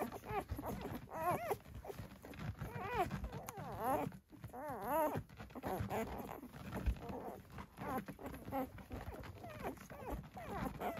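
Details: Six-day-old Dalmatian puppies from a litter born 11/17/23 at Gateway Farm in Acampo, California, squealing and whimpering in thin, wavering high cries that overlap almost continuously, with soft rustling and handling noise beneath.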